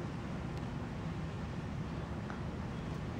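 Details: Only a steady low broadband rumble is heard, with no sneeze or other animal sound.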